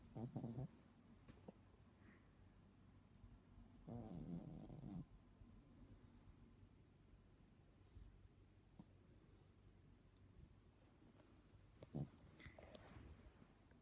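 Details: Teddy, a pet dog, snoring: faint low rumbling breaths, a short burst at the start, a longer one-second snore around four seconds and another brief one near twelve seconds, with quiet room hiss between.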